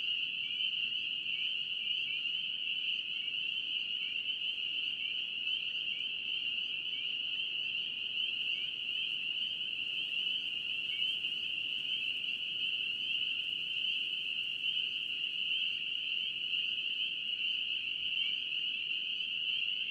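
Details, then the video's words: Many spring peepers calling together near wetlands in North Carolina, their shrill, high peeping merging into an unbroken ringing drone that holds steady throughout, with a faint low background hiss. "NC Peeper frogs"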